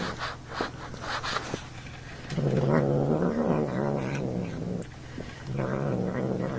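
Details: Next door's male cat producing strange sounds while eating and being poked; a long wavering low growl with rising and falling pitch, then a shorter one, after scratchy chewing and clicking noises.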